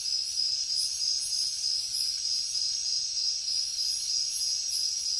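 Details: Crickets chirping at night in the jungle: a steady, high, shrill trill runs throughout, with brighter pulsing bursts above it repeating a few times per second.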